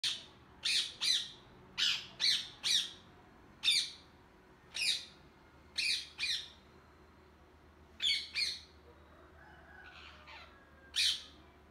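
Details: Hungry squirrel calling. Sharp, high squeaky chirps come singly or in quick pairs and triplets, about a dozen with uneven gaps, against a quiet background.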